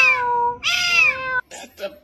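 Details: Domestic cat calling with a long wailing meow that starts steady, swells louder and harsher, and then holds a falling tone, followed by two short rough sounds at the end.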